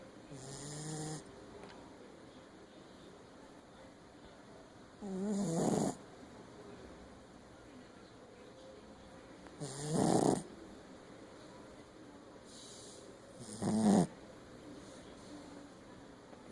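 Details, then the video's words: Female Shih Tzu, Meg, snoring heavily, with harsh rattling inhalations repeated every four to five seconds, quiet breathing between, and a constant low hum in the room. "Meg Roncando"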